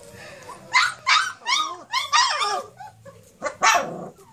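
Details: Several Cane Corso pups, four weeks old, outdoors for the first time, giving a quick series of squealing yelps and wavering whines, roughly five bursts in four seconds.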